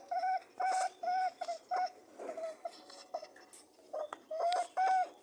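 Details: Mating rabbits honk and hum in clipped tonal bursts, some stretched longer, broken by a softer grunting stretch midway before the steady honks return.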